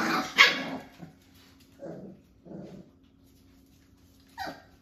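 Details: Five-week-old Jack-A-Bee puppies, a Beagle and Jack Russell cross, playing with a cousin dog. Opens with a loud harsh burst of yapping, then a few short rough barks spaced about a second apart, ending in a sharp high yip.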